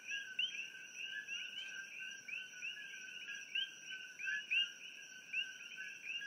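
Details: A dense night chorus of introduced coqui frogs, recorded from a room in Hilo, Hawaii, in pitch darkness: sharp rising two-note chirps over a steady high insect hum.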